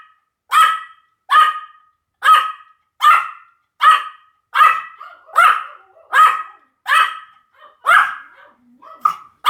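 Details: Pomeranian barking steadily, a regular string of about a dozen high, clipped yaps, one roughly every three-quarters of a second, ending in a few softer, shorter ones.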